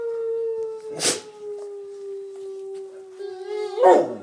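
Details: Bullmastiffs, a pair, howling in response to nearby noises. One long, smooth, even-pitched howl is held for about four seconds, broken by short noisy bursts near the start and the end.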